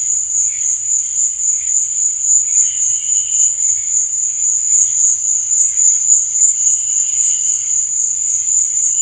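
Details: Crickets at night trill steadily in a high, continuous buzzing chorus with faint pulsing chirps underneath.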